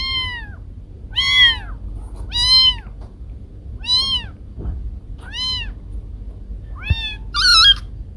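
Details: Pet cats Kiko and Koko, recorded at home: seven clear, arched meows spaced roughly a second apart, each rising and dropping in pitch, the last one higher and more strained, with faint low hum beneath.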